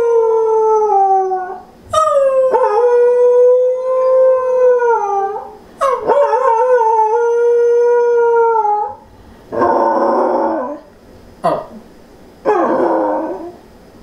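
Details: A female Pembroke Welsh Corgi family dog, which normally howls after someone leaves, gives long, wavering howls, then a few harsh, broken yowls.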